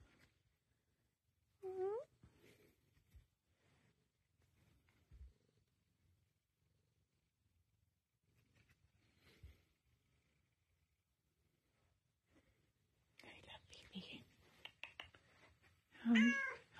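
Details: Female Tonkinese cat indoors giving two short meows: a bending, rising-then-falling call near the start and a louder one at the end. Long quiet stretches lie between them, and a person's soft talking and rustling come just before the final meow.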